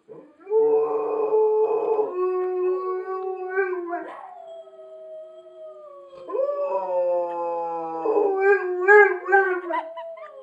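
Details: A Rottweiler howls along in chorus while watching a clip, in long, wavering tones that slide up and down with brief breaks between phrases.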